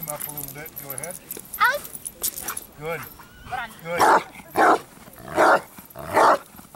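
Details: A man talks first, then the 4.5-year-old Bandog Achilles answers with four heavy, evenly spaced barks during build-up training for strong barking, recorded 25 August 2014.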